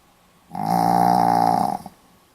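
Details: Pomeranian dog snoring indoors in Hiroshima on 4 November 2015: one loud, sustained rattling snore of just over a second, rising sharply and ending with a small snort.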